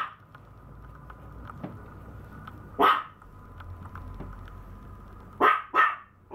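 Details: Maltese puppy: one bark, a long pause with faint ticks and hum, then a quick double bark near the end.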